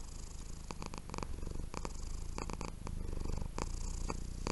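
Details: A very soft domestic cat purrs while asleep: a low, continuous rumbling purr, with scattered sharp rustling clicks close by.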